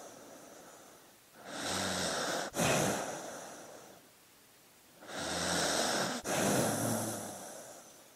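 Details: Dog asleep, breathing heavily: two long, noisy snoring breaths about four seconds apart, each a broad hiss with a faint low hum and a brief catch in the middle.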